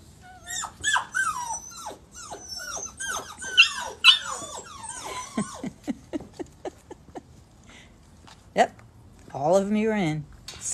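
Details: Six Golden Retriever puppies squeezed together into a small bucket at after-dinner nap time give a rapid run of high, sharply falling whimpers and squeaky yelps, several overlapping, before a person's voice speaks near the end.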